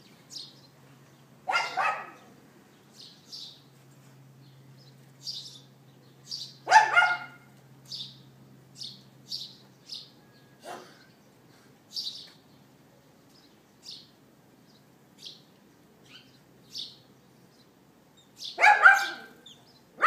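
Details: A neighbour's dog barks outside on the morning of April 18, 2012, captured with an iPhone 4S. Only a few isolated barks, spaced several seconds apart, while frequent short bird chirps fill the pauses between them.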